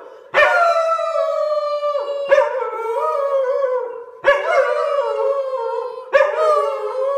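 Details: Singing dog gives four drawn-out howls, each about two seconds, starting with a sharp rise then sliding gently downward, separated by brief gaps.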